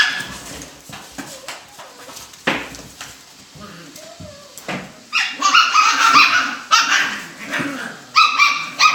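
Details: Alaskan Klee Kai puppies in a box give high, thin whines and squeaky yips in quick, uneven bursts.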